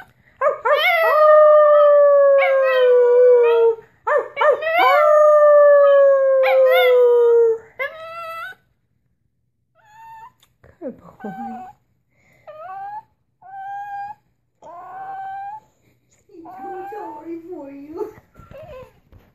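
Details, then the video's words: Puppy gives two long, falling, tonal howls, then shifts into a string of short, softer whimpering and yipping notes, some rising, spaced by brief silences. "Puppy howls"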